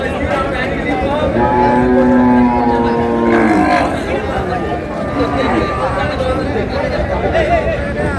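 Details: Cows with calves at Ambari haat cattle market, Dinajpur, 20 February 2026: one long steady low moo lasting about two seconds, rich in harmonics, then fading under constant crowd chatter and bargaining voices.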